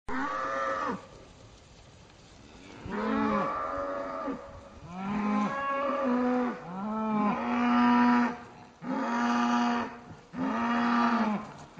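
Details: Cattle near the small town of Aberfeldy in Scotland, described as happy and wild, lowing in a series of deep, drawn-out moos with rich harmonics, several calls in close succession after a quiet opening gap.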